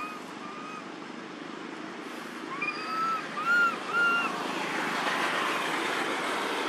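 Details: A baby monkey living in an archaeological park gives short, clear, arched coos, calling for its mother after losing its friends, over traffic noise.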